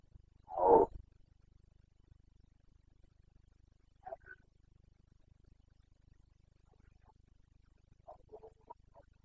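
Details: Red deer stag of the Carpathians, Bucovina, roaring in the rut, the boncănit breeding season, 29.09.2022: one strong gruff bellow at the start, then long quiet broken by faint distant short grunts.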